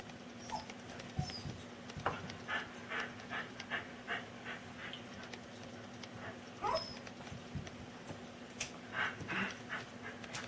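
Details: Indoor pet dog, angry at getting no food from the table, makes funny noises: breathy panting puffs mixed with rising whines, bursts repeating through the stretch over a constant low electrical hum.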